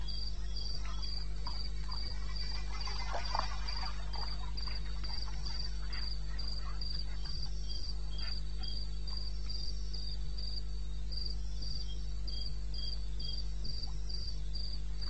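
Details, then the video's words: In the eastern Botswana wilds at 2:30 am in May, a cricket chirps in a fast regular high series, about four pulses a second, while a brief rustling noise passes early on and a low hum continues underneath. "1 Hour cricket sound-Africa-No loop-Real recording."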